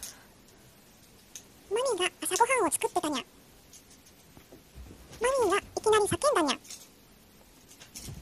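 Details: Ojako, a brown tabby house cat, vocalising indoors in a talking style: two bursts of rising-then-falling meow-like calls, each a run of three or four arched notes, separated by about two seconds of quiet.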